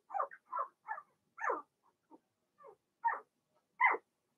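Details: Blenheim Cavalier King Charles Spaniel puppies, Remy's first litter, in a home puppy pen; about nine short sharp yelps and squeaks, separated by brief silences, some fainter than others.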